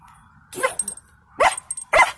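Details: A German Shepherd puppy in a truck at a scrapyard gives three short, sharp barks about a second apart at people standing by a fence, while an unseen small yappy dog is also heard.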